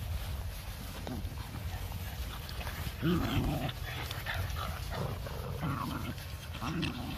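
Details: Playing Boston Terriers, four pets including young puppies, give a brief louder rising-falling whine-growl near the middle, then scattered low grumbles and yips over a constant low hum of background noise.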